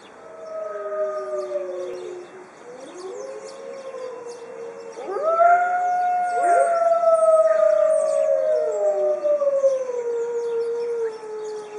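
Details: Arctic wolves, a white pack kept in a zoo, howling together: long smooth overlapping tones that slide down and rise, several voices layered, a brief lull near the start before the chorus swells and holds steady.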